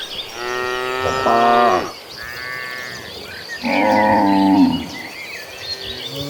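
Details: A herd of cattle walking toward a green pasture lows twice, with long droning moos that hold steady and then sag in pitch.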